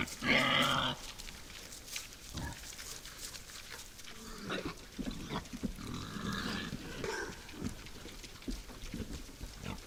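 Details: Wild boars at night at a forest feeder: a loud, harsh squeal bursts out in the first second, then scattered low grunts and snuffling, with rustling and knocking sounds as the animals feed.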